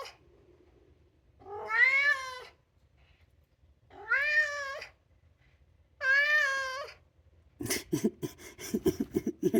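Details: Male Maine Coon, two years old and polydactyl, 'singing' indoors because he wants to go out: three rising-falling meows spaced about two seconds apart, followed by a burst of rapid clattering, scraping noises.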